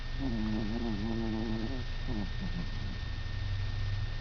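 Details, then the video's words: Hannah, a little 5-lb pet dog, snoring while asleep indoors at night in November 2005; a wavering, fluttery low drone with stacked tones lasts about three seconds and fades into short sputtering breaths over a steady low hum. "Hannah snoring"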